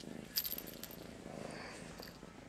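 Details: Indoors in the morning, the cat Master Shifu keeps up a steady, gravelly purr while too groggy to stand and wanting attention.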